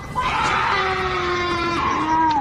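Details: A cougar, said by the uploader to be a mating call, heard in the woods, gives a long, harsh scream that slides downward, sounding eerily like a woman crying out.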